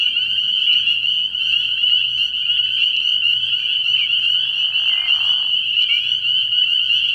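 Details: Early-year night chorus of spring peepers at a frog pond: countless sharp, high-pitched peeps fused into a constant ringing drone. A brief, lower buzzy burst comes midway, and a soft low hum persists.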